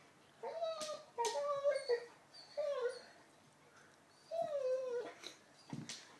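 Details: An eleven-month-old Labrador indoors with a new, hard ball lets out four short whines that fall in pitch, with pauses between. Sharp taps and brief Croatian talk are heard as well.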